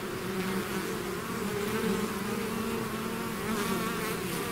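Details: Bees swarming out of their hive give a thick, droning buzz, wavering low bands shifting slightly in pitch as individual insects pass, steady level with no other sounds.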